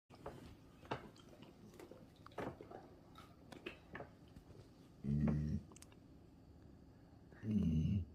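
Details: A golden retriever, just given a delicious treat, makes two low, rumbling, happy grunts between bouts of chewing.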